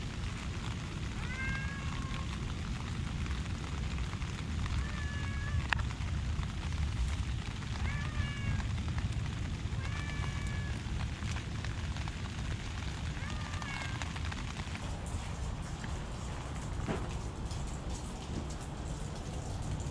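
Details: Cats in a rainy park: five short, arched, whining meows at irregular intervals over the first fourteen seconds, set against a steady hiss of rain and low rumble.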